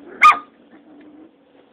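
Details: Six-week-old Rottweiler puppies during playtime, fighting and playing: one sharp, high yelping bark lasting a fraction of a second, followed by quiet room hum.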